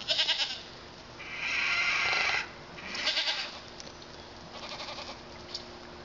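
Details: Male pygmy goat kids, born February 27 and still partly bottle-fed, outside London, Arkansas, calling: a harsh, breathy bleat of about a second, then two shorter, rougher bleats, spaced a second or two apart over low background hum.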